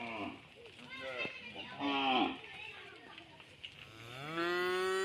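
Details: Several tame cows returning from village rice fields low in deep, drawn-out moos, one rising into a long harmonic-rich bellow.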